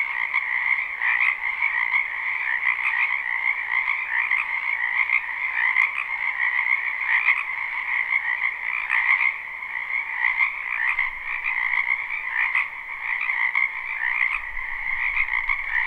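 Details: Spring wetland frogs in full chorus, recorded live with no looping; a steady wall of overlapping croaks and trills, rhythmic swells throughout, faint low rumble late on.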